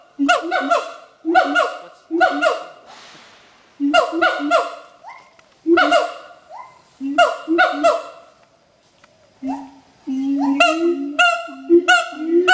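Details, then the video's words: Adult siamang pair at Schmutzer Primate Center in full territorial duet; rapid volleys of loud barking shouts in groups of two or three, a short pause, then a rising whooping series building in pitch. "Duet Song of Siamang Gibbons (Symphalangus syndactylus)"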